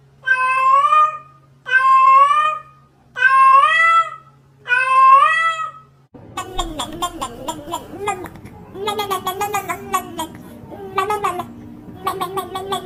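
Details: Four clear, evenly spaced meows from domestic cats indoors, each bending up then down, about one and a half seconds apart, then a busier stretch where choppy cat calls overlap with a person talking.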